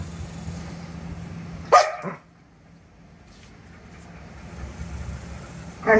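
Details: Ryder, a Vizsla dog, torn between fear and excitement at a grasshopper he has found, lets out one sharp, abrupt bark, followed by quiet and a second bark starting at the very end, with low steady background hum.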